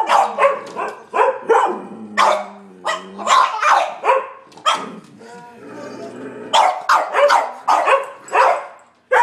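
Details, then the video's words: Three dogs, a Sheltie, a Collie and a French Bulldog, bark at a squirrel on a rainy March day. Loud, sharp barks come in quick uneven volleys with short pauses, and a human voice can be heard briefly between them. "Sheltie, Collie and a Frenchie barking"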